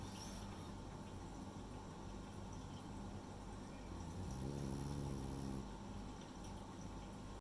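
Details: Rei, a female French Bulldog, asleep and snoring: one low, buzzy harmonic snore in the middle of the clip over a constant rushing background noise.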